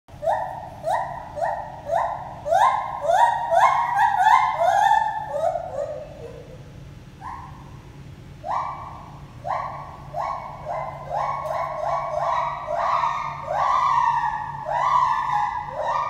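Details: Gibbons Lenny and Holly at the Toronto Zoo whooping together: loud rising hooting notes repeated in quick runs, overlapping between the two, building toward a faster climax then pausing before a second series; a low steady hum underneath.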